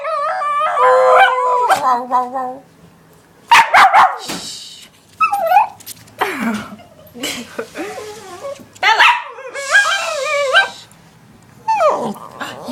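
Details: Dog wanting her bone back, making drawn-out whining, howl-like yowls in rising and falling bursts with gaps between them, while a woman talks to her indoors.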